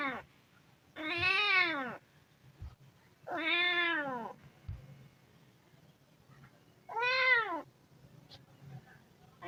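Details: Three loud meows from a hungry kitten, each a rise-and-fall wail of about a second, separated by gaps of two to three seconds with soft clicks and low hum.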